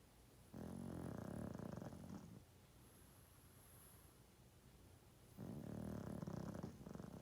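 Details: Two long, gravelly snores from an elderly 12.5-year-old male pug asleep, each drawn out for nearly two seconds with a rapid vibrating rattle, separated by a quiet pause.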